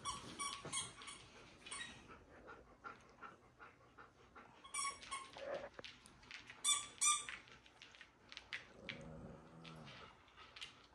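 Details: Pet dogs indoors demanding attention during TV time; repeated high squeaky whines and yelps in irregular bursts, a brief low growl-like sound near the end, room noise between calls.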